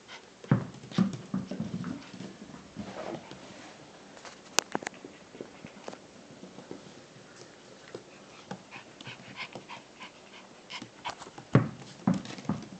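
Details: Shiba Inu puppy, 13 weeks old, playing: irregular bursts of soft whines, grunts and breathy panting, with clicks and thumps of movement, in a quiet indoor setting.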